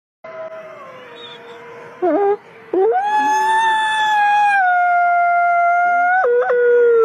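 Wolves howl in long, sustained tones that slide and overlap, with a brief yelping break near the start.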